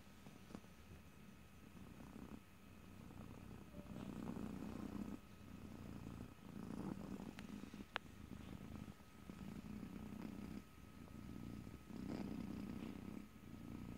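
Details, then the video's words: Domestic cat purring close to the microphone, recorded in stereo: a low, steady rumble with swelling phases every two seconds or so, alternating between softer and louder stretches, plus occasional faint clicks. "ASMR Cat: Purring #5"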